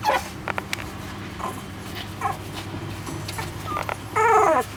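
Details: Shiba Inu puppy, 18 days old, San'in Shiba: a few faint short squeaks, then a louder wavering whimper near the end, rising and falling over half a second, with soft background hiss.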